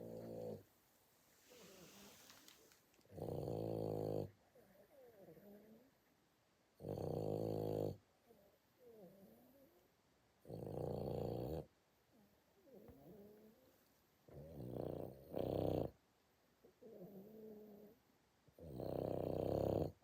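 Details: A Boston Terrier wearing a cone snores loudly in deep, rattling bursts, each harsh breath lasting about a second, irregularly every two to three seconds with softer, wheezy inhalations between.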